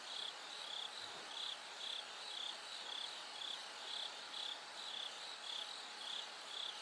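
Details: Nighttime singing of a bell cricket as dawn slowly approaches, heard as bright, ringing chirps in an even rhythm of roughly two per second, each note distinct above soft insect hiss.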